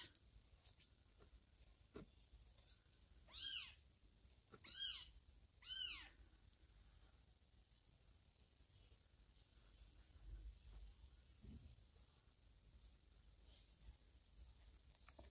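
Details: Little kittens Teddy and Chloe with foster kitten Blackie, the mother cat absent; three quick high squeaky mews in a row about a second apart, followed by long quiet with light rustling and soft movement sounds.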